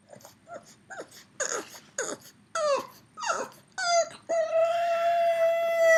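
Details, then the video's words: A three-year-old pug left at home calls non-stop for its absent companion dog, missing its friend: short rising-falling whimpers and yelps, then a long, steady, high whine held over the final two seconds. "Funny Pug Noises"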